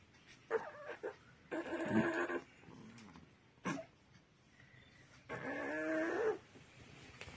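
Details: A 25-day-old puppy whose mother has died whimpers. Its belly swells after milk feeds, a sign linked to a gastric gas problem. Three drawn-out, tonal, wavering whines, each about a second long, separated by quiet gaps and short soft clicks.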